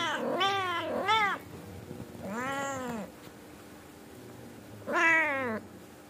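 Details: Scolding meows from an Angora mother cat urging her kittens to sleep and behave: two quick arched meows, a lower rounded meow, and after a pause another sharp rising-falling meow.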